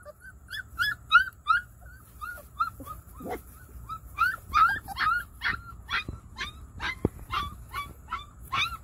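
A coonhound and Great Pyrenees cross gives rapid, high, whining yips, about three each second.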